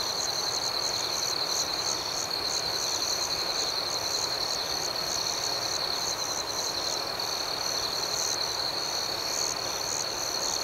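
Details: Crickets chirping at night in a steady, dense high-pitched trill with a faintly pulsing upper layer, forming a continuous, even nighttime chorus with no other clear sounds.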